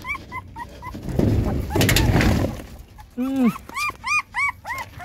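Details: Puppies from mama GiGi's litter of six, nursing with their mother: a few thin high squeaks, then a rustling burst, then a run of loud arched whimpering cries, each rising and falling, about six in quick succession.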